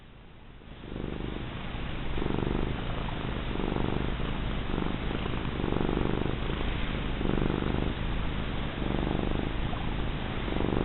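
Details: A big, fat female house cat purring steadily while being rubbed: a low, rumbling, continuous vibration with a soft pulsing rhythm throughout, and a woman's affectionate voice heard around it.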